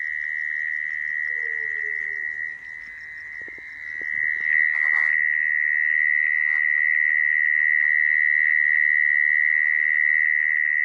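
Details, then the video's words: Mole cricket call used to attract mole crickets for trapping: a steady, sustained buzzing trill, quieter at first, with a faint falling whistle early and a handling thump near five seconds, then louder and even. "Tiếng dế dũi dùng để bẫy"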